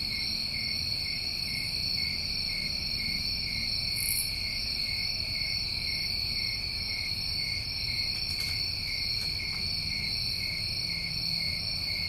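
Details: Summertime crickets from New England keep up a constant high-pitched trilling chorus throughout, with a brief extra very high chirp near the fourth second and faint clicks later.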